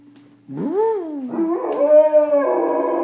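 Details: Domestic dog howling at passing sirens, opening with a short rising-and-falling yelp, then sliding into a sustained, slightly wavering howl that holds steady before dropping lower at the end.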